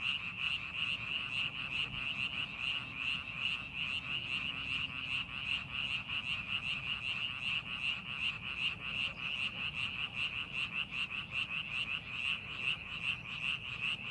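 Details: A frog chorus rises from a rice paddy prepared for farming: high, rapid, repeated croaks blend into one continuous pulsating drone, with a faint low rumble beneath.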